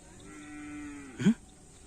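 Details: Cow of a karapan sapi racing team at training on Asemanis field: a steady low moo held for about a second, ending in a sharp louder bleat-like burst.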